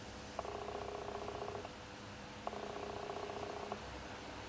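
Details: Purring from a house cat, Shijimi or Asari, indoors as one eats and the other watches outside; two separate purring bursts of about one second each, with a quiet gap between them like breaths.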